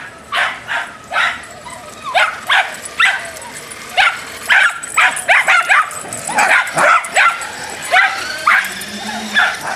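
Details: Furious Dachshund road rage: a rapid, uneven volley of about twenty shrill yapping barks in ten seconds, some doubled, with a short whimper mixed in.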